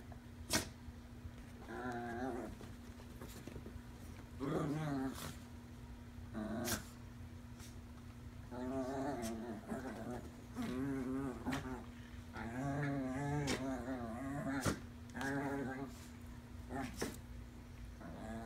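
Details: Two Chihuahuas, Davie Jones and Lucille, a skittish five-month-old rescue puppy, playing together with a toy indoors. Repeated wavering, harmonic growls come in bursts of about one to two seconds, broken by sharp clicks and knocks, over a steady low hum.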